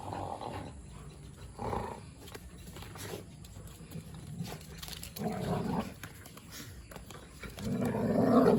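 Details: Robin, a Labrador, and Dheera, a Chippiparai hound, in a boisterous play session. Deep throaty growl-barks rise in irregular bursts, the loudest and longest near the end, over a low rumbling background.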